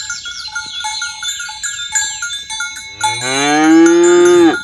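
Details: Tame cows herded toward their pen on a village road in the morning, roaming green grassland and calling companions to gather; jangling bells and chimes for three seconds, then one loud, long, steady moo.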